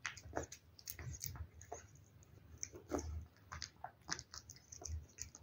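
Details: Domestic cat eating wet food indoors, close-up chewing: soft wet smacks and clicks in irregular bursts, several per second, with low room hum beneath.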